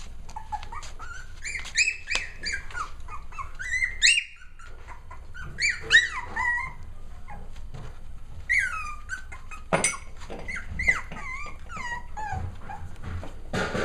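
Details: Playful puppies six weeks old trade shrill, wavering whines and sharp yelps, some sliding upward, in busy overlapping clusters separated by brief quiet gaps and soft knocking sounds.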